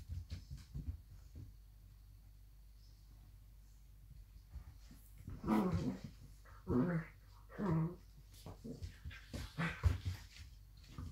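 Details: Two blue roan working cocker spaniels growl and grumble in bursts as they play fight indoors.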